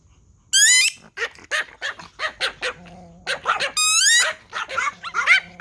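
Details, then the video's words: Several Pomeranian toy dogs react to a whistle with a dense, overlapping burst of shrill, high-pitched yapping barks and yips, some rising and stretched into whiny tones, barely pausing. "Pomeranian Toy Pom dogs barking at a whistle"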